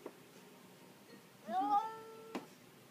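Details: Domestic cat making funny noises: one clear harmonic meow, rising then holding steady for about half a second, followed by a sharp click-like tap; otherwise a quiet room.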